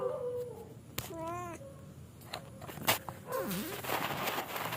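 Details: Cat going to sleep lets out one short, wavering meow amid clicks, bumps and steady low background hum.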